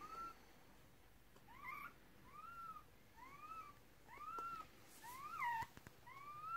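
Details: Puppies from the first litter of a Red Merle Cardigan Welsh Corgi, born during the delivery of six pups in 2018, give thin, high whines that rise and then fall, roughly once a second, over a quiet indoor background.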